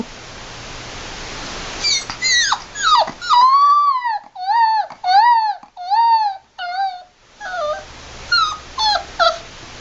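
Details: Puppy beside its mother whimpering in a series of long, wavering, high whines, each dropping at the end, followed by shorter rapid yelping whimpers; steady background hiss.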